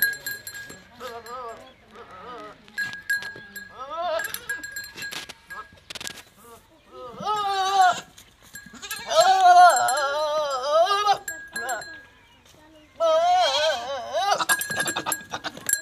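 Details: Goat mating with a Teddy goat in Punjab province, Pakistan: several short nasal bleats early, then long, tremulous bleats in the second half, with clatter, rustling and a steady faint background tone.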